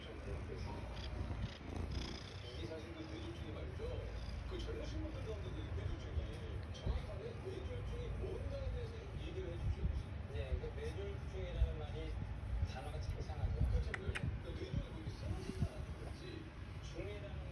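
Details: A 20-month-old Abyssinian cat, sitting on a lap, purrs in a steady low rumble while a person talks softly nearby.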